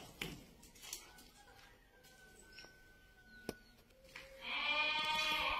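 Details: Two rams in Ain Defla province, Algeria, one giving a loud wavering bleat with stacked harmonics near the end, after quieter clicks, knocks and a faint steady tone.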